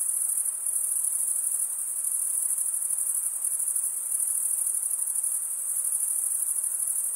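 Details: Continuous high chirping of crickets, made by males rubbing their serrated wing veins together; a bright, even buzz-like trill with a subtle rapid pulse and gentle swells in volume.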